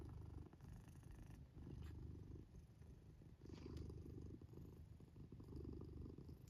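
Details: Black domestic cat asleep in its fort, purring and snoring at once: a low, steady rumble that swells and fades in long breaths, about one cycle every two seconds, with brief quiet gaps between breaths.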